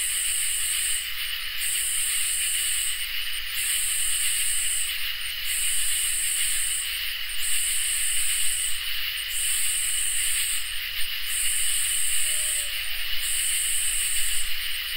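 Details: Crickets and katydids on a peaceful summer night, a long run of high buzzing pulses repeating about every one and a half seconds over a constant chorus drone, with one brief faint lower tone near the end.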